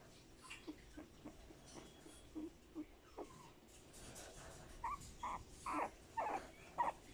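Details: Male Boston Terrier puppy born 12 March 2020 gives soft, short whimpers at first, spaced about a second apart, then louder high nasal whines in quick bursts over the last three seconds.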